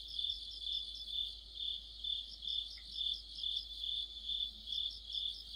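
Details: Crickets singing together in deep autumn beside a streetlight, a bright continuous trill swelling and fading in even beats, with one brief faint chirp standing out partway through.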